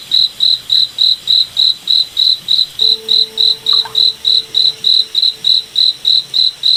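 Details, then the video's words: Night chorus of crickets in a moonlit forest, sharp, evenly spaced high chirps repeating roughly every 0.3 seconds, with a faint low tone briefly humming beneath them midway. "Cricket Night Forest Ambience"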